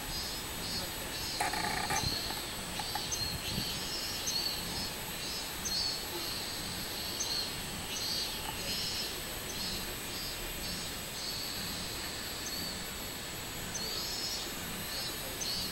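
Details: Robust cicada song from 24 July 2016: rhythmic high buzzy throbs repeating about every one to two seconds over a steady insect whine. A short burst of human voice is heard early on.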